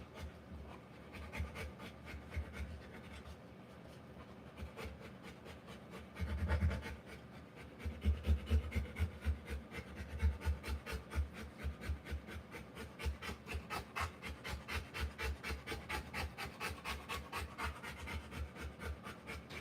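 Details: Rottweiler mother panting while giving birth to puppies; after a calm start, heavy rhythmic pants take over, about two breaths a second, harsh and breathy and keeping up steadily to the end.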